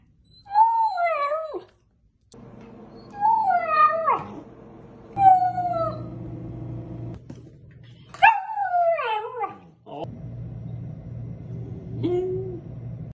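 A Samoyed puppy howls in brief, quavering bursts that climb and then fall away, repeated every few seconds. A low hum runs underneath, and a person speaks briefly.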